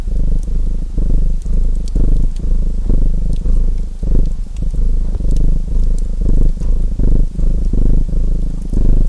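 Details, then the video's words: Low, continuous purr of a domestic cat with rhythmic swells, set against the intermittent snapping crackle of a chimney fire. "Purring Cat Sounds"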